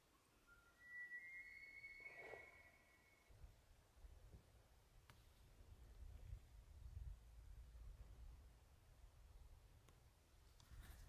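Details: Bull elk during the 2023 rut, recorded while hunting in the archery season: one high whistled call climbs and holds, steady with a faint overtone, for about a second and a half, then gives way to low wind rumble and scattered clicks.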